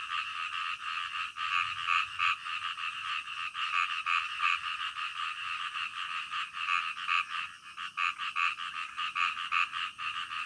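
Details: Night frog chorus in the middle of the night: many frogs give quick pulsed croaks in rapid overlapping runs, the beat swelling and fading, a brief lull near the end before the croaking resumes.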